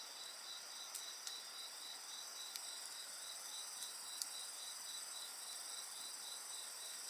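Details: Night chorus of insects beside a campfire: a steady high pulsed trill repeating rapidly near the top of the range, layered with continuous shrill ringing bands, while occasional faint crackles and pops of burning wood break through.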